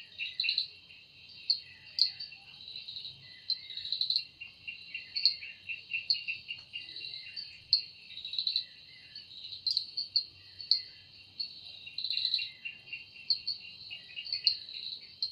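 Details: Cicada in a forest at evening, its sound said to come from its wings: a dense high buzzing chorus with a steady shrill tone beneath, swelling in irregular pulsed bursts every second or so throughout.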